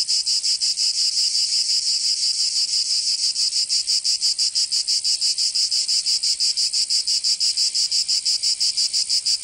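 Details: Summer cicada chorus from Provence in the south of France, a dense high-pitched rasping drone beating in fast regular pulses about three per second, steady throughout with nothing else audible.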